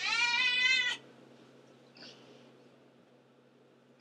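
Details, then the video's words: Antigone, a pet cat that meows nonstop, gives one loud wavering meow cut off sharply, followed by near silence with a faint soft sound and a steady indoor hum. "Antigone the Meower"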